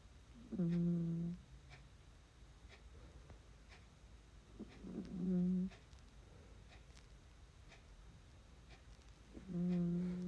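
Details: Snoring from a sleeping dog named Noel: low, droning, harmonic breaths lasting under a second, repeating about every four to five seconds, in a quiet indoor setting.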